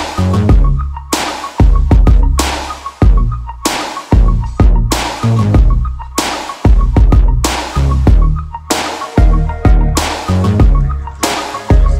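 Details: Loud electronic dance music with heavy, regular bass drum hits about every half second and a bright repeating synth tone, with no animal sound audible.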